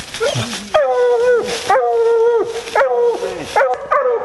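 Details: Female Bluetick Coonhound on a coon hunt giving long drawn-out bawls, each held on a steady tone for about half a second to a second, four calls in a row with rustling between.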